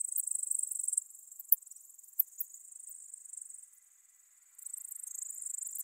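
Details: Ornate bright bush-cricket (Poecilimon ornatus) recorded at Seewiesen, Germany, on 28 June 2019: high, thin ticking stridulation in short bursts, a dense run of ticks, a pause of several seconds, then another run, with no other sounds.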